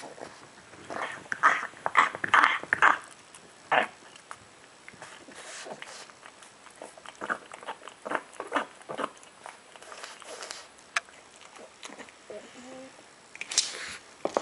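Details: Bram the pug eating inside, with loud, irregular smacks, slurps and gulping clicks in busy clusters, some brief snorts among them, then a quieter spell of sparse chewing and a final noisy burst of eating sounds.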